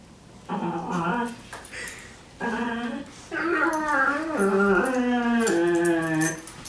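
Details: A brown pet dog produces strange, funny sounds: long wavering whine-moans that slide and waver in pitch, three sustained bursts running into one another, the last one lasting about two seconds.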